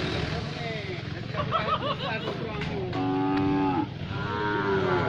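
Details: Brangus cattle lowing: a steady, low, drawn-out moo near the middle, with shorter wavering calls and background murmur, possibly voices, throughout.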